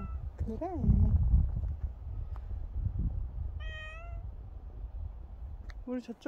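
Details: Dog-like pet cat Bobae gives three separate meows: a short bent one early, a steady drawn-out one in the middle and a brief rising one at the end, between bursts of human speech and low rumble.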